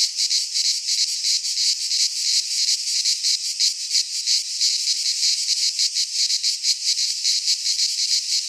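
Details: Greek pine-forest cicadas in midsummer produce a relentless sizzling high buzz, throbbing in fast rhythmic waves, a single dense chorus with no birds or wind heard.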